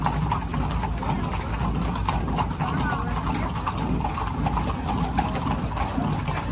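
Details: Clip-clop of horses parading through Zináparo, a busy patter of overlapping hoof strikes, with voices of onlookers and a low background rumble throughout.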